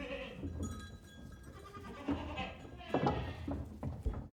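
Several goats bleat in wavering, nasal cries over a low rumble of a moving herd.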